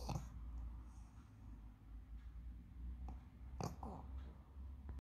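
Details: A female pug snores with low, rumbling breaths, punctuated by a few brief snorts and snuffles.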